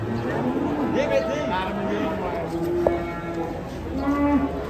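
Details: Giant European-class cattle coming down off a truck; several short, low moos break through chattering people and faint background music.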